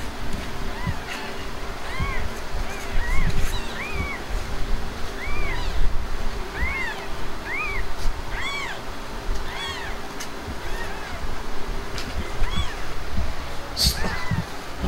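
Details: Himalayan cat Blanca, a mother that has just given birth, with her kittens: a long run of short, high, arched meows, roughly one or two a second, over steady low background rumble and faint noise.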